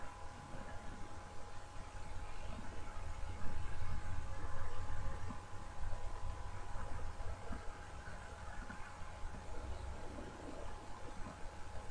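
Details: Steady low rumble and a constant mid-pitched electrical hum fill the recording, with no animal voice audible.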